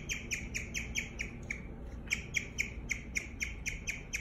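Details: Bird-like chirps from a guinea pig, high and clear, repeated several times a second with a brief gap in the middle before the steady run resumes; soft low hum behind.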